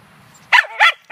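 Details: Munchkin, a female Scottish Terrier, goes after squirrels at a dog run on 9 May 2013. Two loud, rough barks and the start of a third follow in quick succession.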